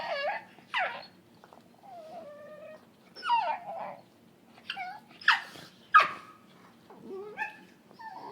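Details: Cookie the dog, romping indoors with Bane, lets out strange squeaky whines and yelps, short falling squeals and wavering moans in irregular quick bursts.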